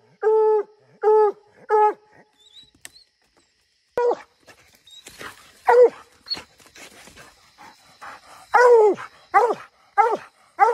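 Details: Bluetick Coonhounds barking treed, three clear barks, a gap with faint noises and a squeak, then more irregular barks resuming, some louder and longer toward the end.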